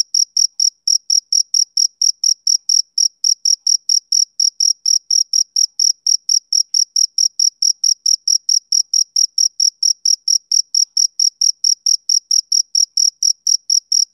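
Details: Continuous chirping from a male cricket on a summer evening: bright, high-pitched pulses, about three per second, in an even, unbroken rhythm with no other sounds.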